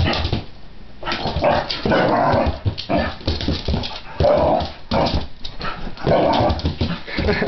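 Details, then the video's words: Pit bull confronting a cat, letting out repeated gruff barks mixed with whimpering, in dense bursts about every second or two. "pitbull vs my cat"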